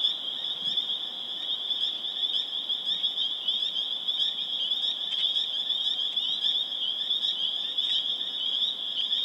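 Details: Many spring peepers calling together in Harvard, Massachusetts on April 27, 2011, their shrill high peeps merging into a steady, ringing drone with scattered sharper notes above it.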